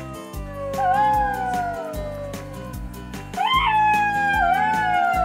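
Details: Golden jackal. A golden jackal gives a long, wailing howl that rises slightly and then slowly falls, followed by a second, higher howl. Rhythmic music with a steady beat plays underneath throughout.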